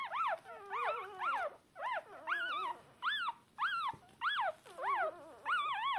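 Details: Shiba Inu puppies hours old, unable to see or hear, calling their mother; arched, squeaky whimpers repeated roughly every half second, loud and clear, with quiet gaps between bursts.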